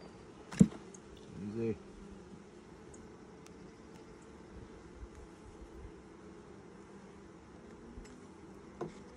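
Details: Honey bees in a hive opened for its first inspection in 2020, six days after nucs were installed; a steady low droning hum fills the frames, broken near the start by a couple of sharp handling knocks.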